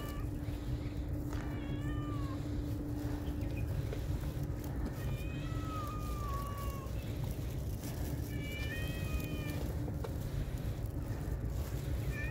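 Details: Shy cats being fed, with several soft, thin meows scattered through the stretch, some rising and falling, others short, over a heavy low rumble and a faint steady hum.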